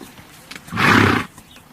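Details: Horse giving a single short, breathy, noisy blow of about half a second, rough and broadband with a low rumbling base, standing out against a quiet background.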